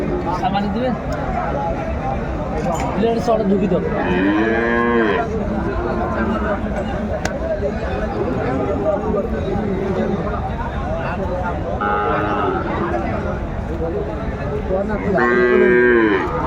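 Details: Sahiwal cattle at a livestock market in Faridpur, Bangladesh, where a bull calf is being sold on 24 December 2024; several long, arching moos rise and fall amid steady crowd chatter and haggling voices.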